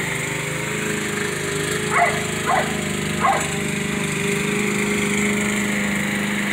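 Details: Jack Russell Terrier mix named Baxter, mad at his owner while the yard is being mowed, gives three quick barks over about a second. A lawn mower hums continuously underneath.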